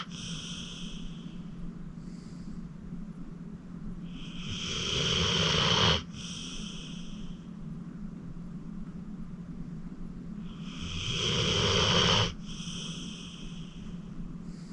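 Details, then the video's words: A sleeping senior pit bull, 14-year-old Acorn, rescued from the Cuyahoga County Animal Shelter, gives two long, crescendoing snores that stop with an abrupt snort, roughly six seconds apart, amid soft, steady breathing. "Acorn Sleeping - Relax with a Snoring Senior Dog"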